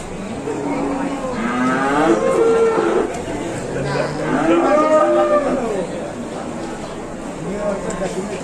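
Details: An aggressive cow being unloaded, scaring its handler: two long, wavering moos about two seconds each, with men's voices and crowd chatter throughout.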